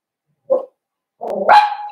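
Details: Blenheim Cavalier King Charles Spaniel puppy, one of a New Year's litter in a home pen: a brief soft yelp, a pause, then a rough bark sliding into a drawn-out whine.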